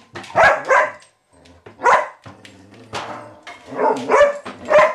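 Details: Indoors, April the Vizsla puppy, unsettled by Maggie the cat, gives loud, ragged barks in scattered bursts, two close together, then single yaps. A person's scolding voice mixes in between.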